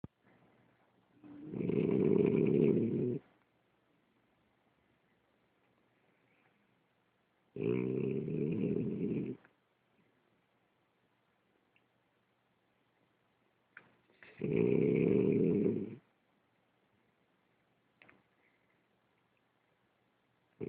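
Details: Ulises, a French Bulldog, snoring: three long, buzzy, rumbling breaths, each about two seconds, spaced roughly six seconds apart, with quiet pauses between them.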